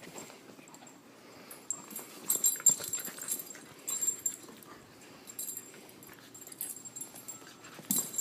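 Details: Two puppies, Liam and Pearl, play-fighting as each tries to be alpha; soft whimpers and small yips come in bursts amid scuffling, rustling and thumping, with a bright hiss of movement noise throughout.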